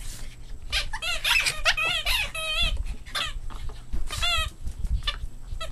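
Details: Boston Terrier puppies in play squeal repeatedly, high bent squeaks and whines coming in rapid clusters over a background of bumping and rustling.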